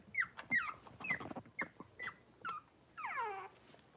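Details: Young Cavalier King Charles Spaniel puppies at play give a quick series of short, high whimpers and yips. Each slides downward, about six in two and a half seconds, then comes a longer wavering whine, with light scuffling in between.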